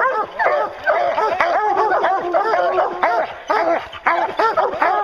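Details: Hounds baying during a bear hunt, a dense chorus of overlapping arched barks and bawls, roughly two per second, with no pauses between them.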